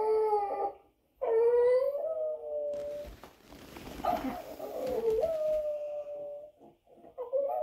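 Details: A dog howling from a television as a Boston terrier watches indoors: a long wavering tonal howl, a brief pause, then a second sustained howl that dips and rises and breaks into muffled noisy wavering before a short final rise.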